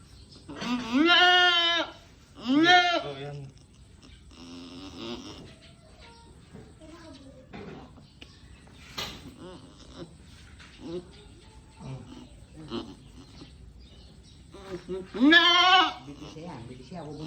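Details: Domestic goat in labour during a birth. Two short, strained bleats come close together, then murmured human voices for about ten seconds, then a final loud, quavering bleat.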